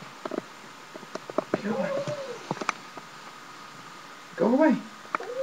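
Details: Kairi, a pet cat that has picked up a few words living with its family, gives drawn-out, arching harmonic meows like a human "no" while on someone's lap indoors, two separate calls with soft clicks and rustles between them.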